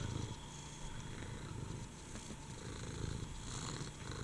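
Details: A low, steady purr from Furball, the fat female pet cat aged at least seven, fairly quiet beneath a soft hiss of background noise.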